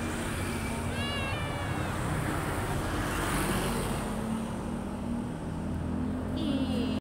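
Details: Street-found kitten meowing: one clear wavering meow early on, another near the end, both set against constant low road noise and faint voices.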